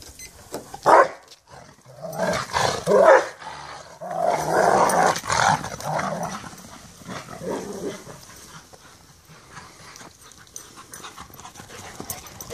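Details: Two Rottweilers, Merlin and Sonja, playing the chase-me game; rough play growls and a few short bark-like bursts, loudest in the first half, then fading into lower grumbling and scuffling.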